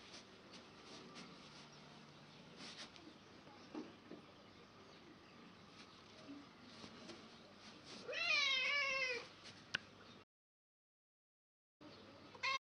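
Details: An angry cat with wind around it gives one loud, drawn-out yowl lasting about a second. The yowl is strongly harmonic and wavers up and down. Before it come several seconds of low rustling and soft noise, and the clip ends with a short loud burst.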